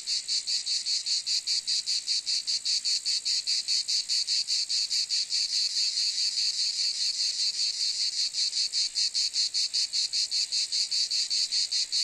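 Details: Rasping cicada chorus, a dense high buzz beating in regular pulses about two and a half times per second, holding an even loudness for twelve seconds with nothing else audible.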